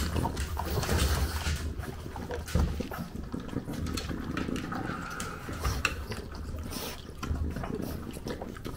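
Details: French bulldog in Japan eating breakfast while a puppy comes to aim for its food, recorded on a DJI Pocket 2; continuous wet, crunchy chewing and lapping with soft clicks and low rumbling noise throughout.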